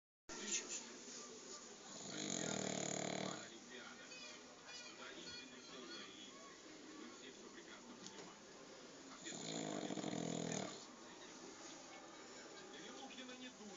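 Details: Sleeping dog lying with its legs up, snoring in two long, low, rumbling breaths about seven seconds apart, with quieter breathing and faint room sounds between them.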